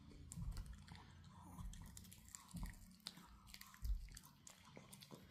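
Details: Fluffy Pomeranian puppy gnawing a dog chew indoors, with irregular soft crunching and biting noises in low thumping bursts roughly every second, small clicks between, in a quiet small room.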